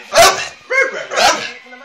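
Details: Hungry pet dog 'talking': three drawn-out, whining, voice-like yowls, each under half a second, with a short gap between them and quiet room sound in between.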